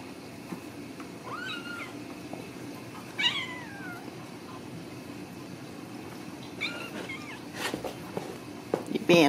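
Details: Ragdoll kittens raised uncaged in a home cattery in central Kansas; three high, wavering meows that rise and then fall, at about 1.5, 3 and 7 seconds, over steady indoor hum, with clicks and handling noise near the end.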